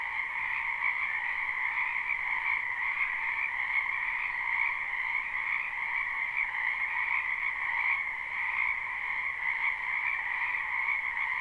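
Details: Wetland frogs in spring, recorded live without loops, form a constant croaking chorus: two bright, steady bands of rapid overlapping calls, slightly wavering in strength across the eleven seconds, with no other sounds.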